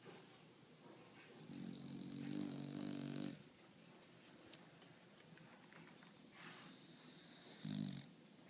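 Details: Bulldog asleep indoors, snoring in one long rattling breath near the start, then a quiet stretch and a short snort-like snore near the end, with soft background noise.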